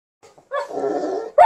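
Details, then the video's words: An Alaskan Malamute gives a brief, rough, mid-pitched howling wail while singing along with a Golden Retriever, ending as a louder note begins. "Singing perfomance by Alaskan Malamute and Golden Retriever🔊🎶"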